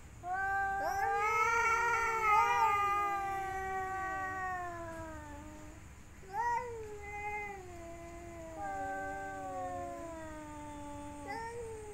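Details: Cats during mating season, a female courted by three males, trade long moaning yowls: one wavering wail of about five seconds, then two shorter falling cries. Each cry slides downward, separated by brief pauses.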